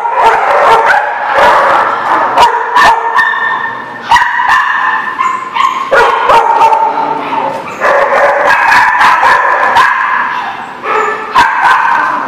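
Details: Dogs barking on 23 October 2017: a dense, irregular run of sharp yipping barks, almost three per second, mixed with sustained whining and whimpering tones.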